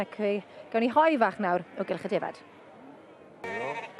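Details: Bleating from two-year-old Welsh Black Mountain sheep: a short burst of shaky, wavering calls in the first half, a quieter pause, then one more trembling bleat near the end.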